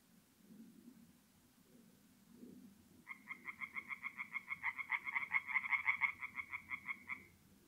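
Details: Singing tree frogs at night in a forest pond in mid-April, North-East Italy; after three seconds of quiet low background, a fast series of sharp pulsed croaks starts and runs steadily to the end, several per second.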